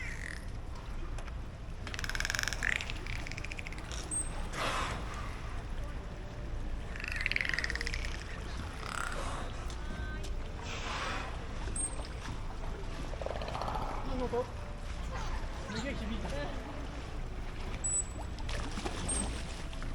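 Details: Dolphins breathing during evening training at Port of Nagoya Public Aquarium; short, broad, gusty blows burst out at irregular intervals over a low hum, with faint voices and brief high tones in the background.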